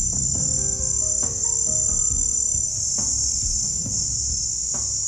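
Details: Male great grigs, or hump-winged grigs, grow very loud after sunset. Their calls are higher pitched than ordinary crickets', cost much energy and reach about 105 dB. A continuous shrill high trill runs throughout, with soft musical tones underneath.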